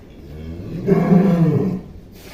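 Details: Young giant cow called Atta Halilintar, recorded in 2022: a single deep, rough moo of about one second swells and fades over a low background hum.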